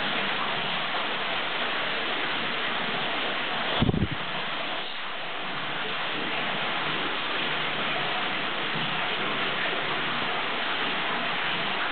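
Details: Steady rain-like hiss fills the whole clip, with one short thump near the four-second mark and no animal voice.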